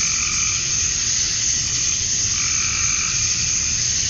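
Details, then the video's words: Summer dusk in Georgia, USA, with male cicadas calling to attract females: one unbroken, shrill buzzing wash with faint, softer croaks of frogs blending in behind it. "Cicadas at Dusk, Summer Night"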